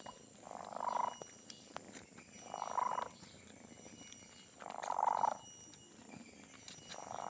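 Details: Loud purring from Donat, a pet cat whose purr is said to be the loudest: rough buzzing bursts repeat about every two seconds in a steady breathing rhythm over faint background hum.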